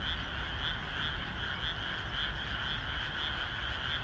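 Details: Many frogs calling together in a wet paddy on a rainy day before planting, a continuous throbbing wall of overlapping croaks with faint regular pulses, underlaid by low-pitched rain noise.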